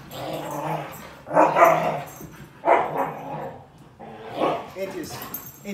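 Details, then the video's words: Siberian Huskies Dante and Antaeus squabble over their new Purple bed at home, giving a series of harsh growling, barking bursts roughly every one to one and a half seconds, a voice calling between them. "Huskies Fight Over New Bed!"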